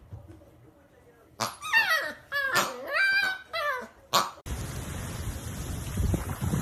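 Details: Dachshund whining in a string of high, wavering, sliding cries over about three seconds, cut off by a sharp yelp, then a steady broad hiss of background noise.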